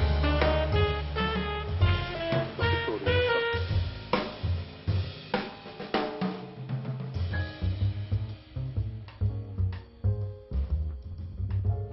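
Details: Drum-driven pop music with snare, bass drum and hi-hat under a melodic line, playing without a break.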